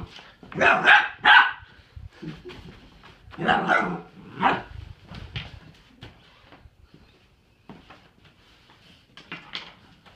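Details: Indoors, Doug the pet dog objects to having his toys tidied away, letting out a burst of sharp barks, then several spaced single barks that fade to quieter yips and small noises.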